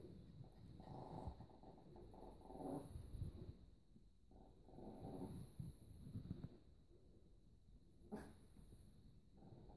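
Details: Biewer Yorkshire Terriers at the birth of a litter at a breeding kennel, 31 March 2015, around 8:08 in the morning, indoors; low grumbling, growl-like vocal bursts with faint harmonic whines come in uneven runs over steady room hiss.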